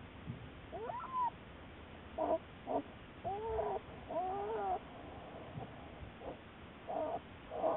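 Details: Black bear Juliet, part of Wildlife Research Institute research, March 1, 2014; a run of short squealing cries, some arching up and down in pitch, others brief clipped yelps, coming roughly every half second against low hiss.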